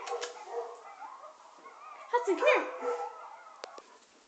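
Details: A two-year-old English Springer Spaniel howling at a video of coyotes gives a wavering, sliding howl that rises and falls, with voices in the background.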